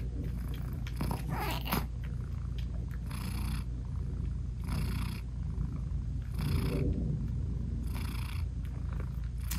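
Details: Nursing British Shorthair mother cat with newborn kittens whose eyes are still closed, purring continuously; a deep, even drone with a breathy surge roughly every 1.7 seconds across nearly ten seconds.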